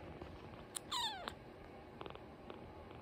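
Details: A tiny, orphaned male baby kitten gives a thin, squeaky, falling squeal, followed by faint clicks and rustling.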